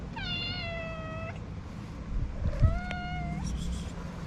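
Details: Orange feral street cat just woken from a nap and yawning: two long, steady, harmonic-rich meows, the first level then dropping slightly, the second rising at its end, with low street rumble behind.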